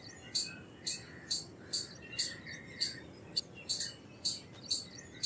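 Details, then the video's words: Indian palm squirrel's bright, clipped chirps, each brief and sharp, spaced around half a second apart. Distant birds chirp faintly lower down. "Squirrel Sounds Effects - Squirrel Calls - Squirrel Sound - Indian Squirrel - Squirrel Voice-Vocals"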